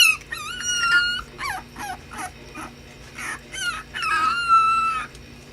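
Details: Playing puppies whine and yelp loudly: high, wavering drawn-out whines with rising and falling bends alternate with short sharp yelps in quick bursts, over a faint steady hum.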